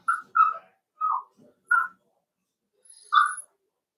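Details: Young Cavalier King Charles Spaniels at play in a puppy pen kept inside a home, giving a run of high, squeaky whimpers and yips, five short bursts with a brief gap before the last.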